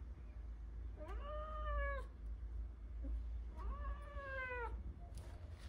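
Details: Two long, even meows from Blue the Persian cat asking to go outside, each about a second long and spaced over two seconds apart, with a low background hum.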